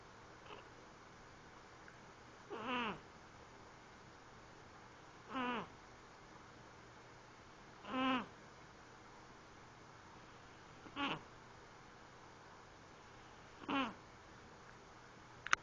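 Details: Sleeping pet cat snoring indoors: five short, breathy, harmonic rasps roughly every two and a half to three seconds, each rising and falling briefly, with a quiet steady background between breaths.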